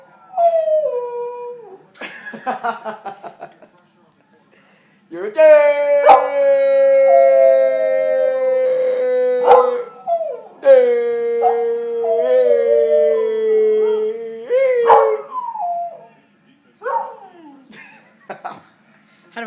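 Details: A Pembroke Welsh Corgi howls in long, wavering tones that slide slowly downward, objecting to being called "jerk," with a person speaking between howls.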